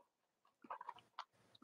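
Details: Cavalier King Charles Spaniel puppies from mothers Robin and Myra, filmed on a chilly Monday morning near Halloween in the US; a quick cluster of thin, high squeaks and whimpers lasting under a second, then one sharp yelp, over quiet indoor background.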